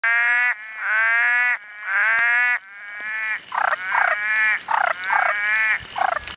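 A frog gives loud, nasal croaks, first long and steady, then shorter pulsed ones in quick succession.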